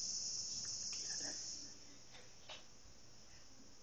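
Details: Japanese cicadas recorded from a bathroom, a shrill sustained buzzing whine, strongest over the first second and a half before easing to a fainter unbroken hum, with small room noises.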